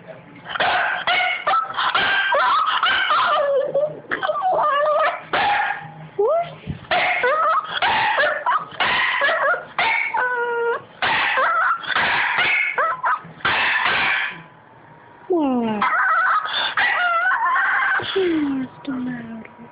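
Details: Boston Terrier whining for attention indoors; long series of high, wavering whines and yelps, some sliding up and down, broken by brief pauses, with a person's voice talking to the dog.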